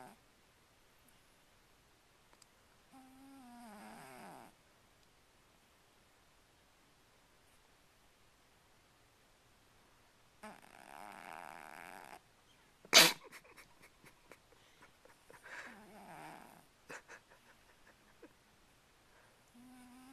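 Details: Domestic cat snoring loudly indoors: several drawn-out breaths a few seconds apart, each with a nasal, whistly tone that wavers and slides downward, plus a sharp click partway through and quiet room background between breaths.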